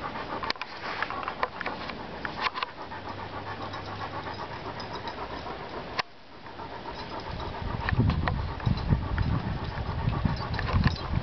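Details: Trigger, a Bernese Mountain Dog at play with friends, panting in fast breathy pulses during the first half. A sharp knock comes midway, then low rumbling and handling noise grows and partly covers the breathing.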